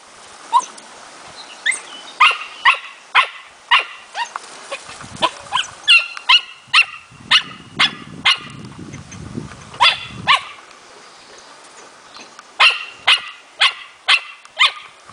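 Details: Smooth Fox Terrier puppy, four months old, in hunting training through play that brings out its inborn hunting drive. It barks fast and steadily, about two sharp yaps a second, with a short pause midway and low rustling underneath.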